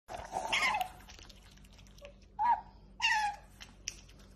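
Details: Pet otter making a noise while eating her favourite dish: short squeaky chirps with harmonics, a longer one near the start then two brief bursts, over quiet background.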